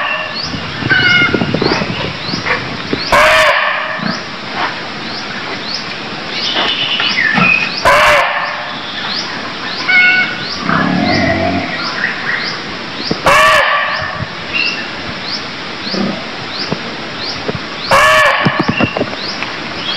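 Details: Cambodian barking deer giving abrupt, rasping shrieks at irregular intervals of about five seconds, with a busy background of high repeated chirps and rustling noise.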